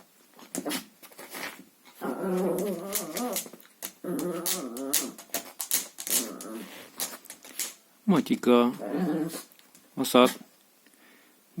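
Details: Chihuahua playing with a hoover's hose inside a small room, producing several wavering growl bursts of one to two seconds, with sharp knocks and a few higher yelps near the end.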